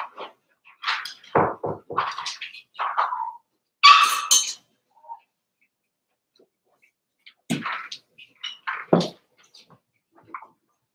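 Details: Four-week-old Cavalier King Charles Spaniel puppies of Daisy's litter in their indoor pen. Short squeaky whimpers and yelps come in clustered bursts, mixed with scuffling and rustling, with a quiet pause midway.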